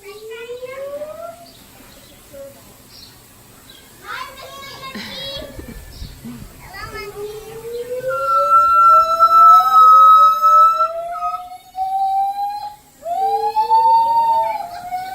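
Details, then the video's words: Gibbons at the Los Angeles Zoo, calls said to echo through the zoo all day: long clear whistled notes sliding upward, from low to high, some long level tones, with children's voices and chatter between phrases. "テナガザルの鳴き声 gibbons"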